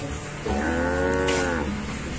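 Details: Aceh cattle, a calf priced for sale, in a dark traditional shed: a single drawn-out low moo lasting about a second, with a steady harmonic tone over a low background hum.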